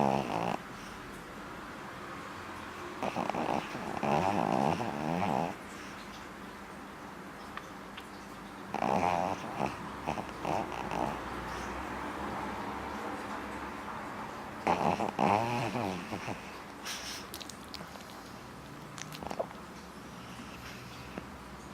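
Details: Dog snoring while asleep with its eyes open, indoors; raspy, throaty snore bursts of about two seconds come roughly every six seconds, with quiet, steady breathing in between.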